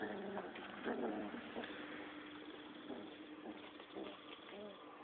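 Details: Six-week-old Rottweiler puppies play-fighting, giving short, low, rough growls in quick irregular bursts, loudest in the first two seconds, then softer grumbles over a steady background hum.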